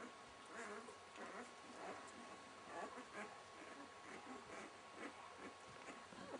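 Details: Six-day-old Welsh Springer Spaniel puppies with their mother Fly, squeaking and grunting in a steady, irregular stream of short, soft, overlapping sounds, roughly one burst every second or so, in a small quiet room.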